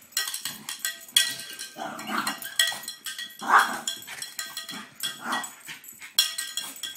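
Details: Zeus, a pet French Bulldog, barking and vocalizing excitedly at a cow bell; short harsh yelps and whines break between loud metallic clanging of the bell throughout.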